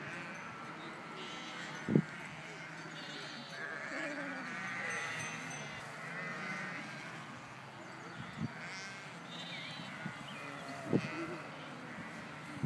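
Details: Flock of sheep passing by: many overlapping, wavering bleats rise and fall over a steady rumble of movement, with occasional sharp knocks and shuffling.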